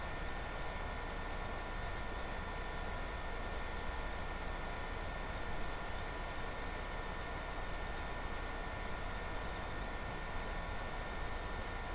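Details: Steady electronic hiss and hum fill a small indoor room, with no other clear sounds.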